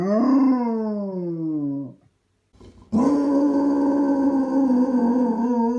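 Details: Basset Hound howling: a long, loud, harmonic howl slowly falling in pitch for about two seconds, a brief silence, then a second steady howl held to the end, slightly wavering in pitch.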